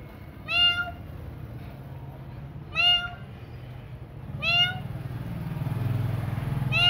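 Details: At feeding time at night, cats give three bright, harmonic meows roughly two seconds apart, each sliding up then down, with a low rumbling hum building toward the end.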